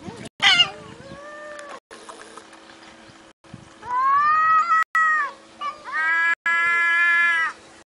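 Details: Cat from a funny animal compilation: a sharp high cry, then several drawn-out, richly harmonic meows, the later ones long, rising then falling, separated by brief gaps over a faint steady hum.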